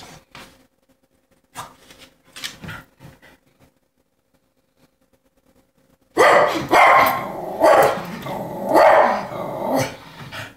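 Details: Cocker Spaniel barking at a neighbourhood squirrel it wants to play with: a few soft distant barks early, then after a pause a run of loud, harsh, repeated barks roughly every second.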